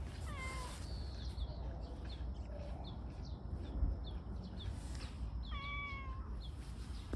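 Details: Stray tortoiseshell community cat in a park, affectionately rubbing and seeking attention, gives two drawn-out harmonic meows, one at the start and another near the end, with a steady repeated high chirping in the background.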